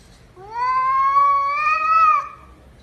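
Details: Pet cat in a home giving one drawn-out meow of about two seconds, a clear harmonic tone held steady then rising slightly before dropping off at the end; quiet room otherwise.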